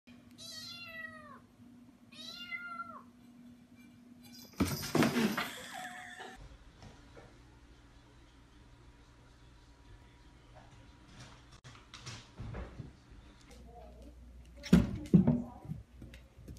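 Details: A domestic cat gives two clear, drawn-out meows, each rising then falling, about two seconds apart, followed by loud rustling and thumps, a steady low hum, and later more clattering noises indoors.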